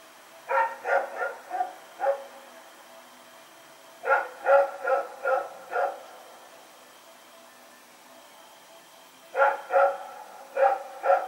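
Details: Rex, a dog running around in the night on September 21, 2018, barks in three bursts of four to five rapid, mid-pitched barks separated by pauses of a few seconds.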